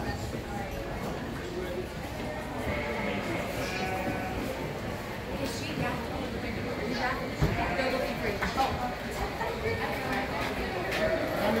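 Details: Pygmy goat at a showmanship competition at the Big Fresno Fair in 2018, shown with Fairmont 4-H; wavering, harmonic bleats rise over steady indoor crowd chatter and voices throughout.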